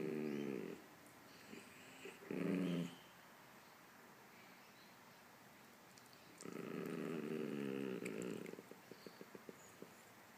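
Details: A Chihuahua not sharing with a poodle gives short low growls, then a longer rumbling growl of about two seconds, followed by faint clicking sounds; quiet background between.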